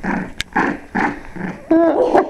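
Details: Cavalier King Charles Spaniel puppies, six weeks old, at a German breeder's kennel: short noisy bursts about every half second, then a clear harmonic whine and yelps near the end, with voices behind.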